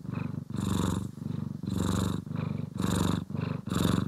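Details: Pet cat from the pair Poki and Kiwi purring during grooming and brushing, stereo recording: low continuous rumble swelling and fading roughly every half second to second, breathy upper texture on each stronger pulse.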